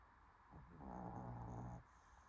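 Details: A sleeping dog snores: one low, rumbling breath lasting about a second, deep and steady with a faint growl-like buzz, in an otherwise quiet indoor room.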